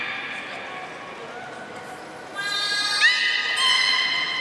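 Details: At Nagoya Port Aquarium, Japan, on 30 March 2019, a captive beluga whale eats fish and then plays. Quiet murmuring comes first. Then layered harmonic whistles enter, with a quick upward squeak in the middle.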